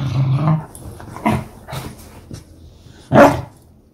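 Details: A pet beagle dog indoors gives a low rumbling growl, a few soft grunting huffs, then one sharp, loud bark near the end.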